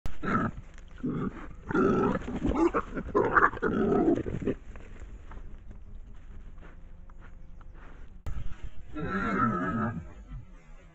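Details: Wild boar; fighting growls; aggression during a fight between boars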